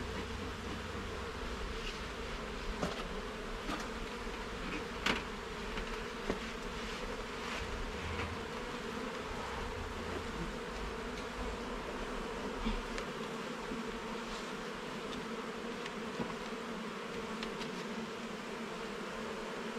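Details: Garden beehive opened for inspection, frames and levels checked: honey bees give a continuous even buzz of stacked humming tones, broken by sharp knocks and taps from frames being moved.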